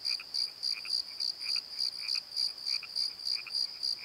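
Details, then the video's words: Crickets calling at night in a valley bottom under the Pozo night tree, a high pulsed chirp around four to five kilohertz repeating about three times a second, with softer scattered frog-like chirps lower beneath. "Crickets and Croaks! Pozo Night Tree"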